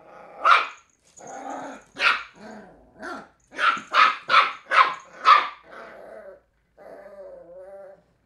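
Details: Three-month-old Cairn Terrier pup Willow tackling an empty bottle indoors, giving sharp high yaps mixed with short growly barks, then a quick string of five rapid yaps and a trailing whiny growl.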